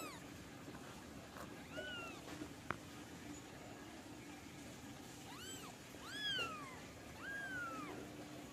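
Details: Doll face Persian cat giving several short arched meows, some soft and some stronger, with a click partway through and a constant low background hum.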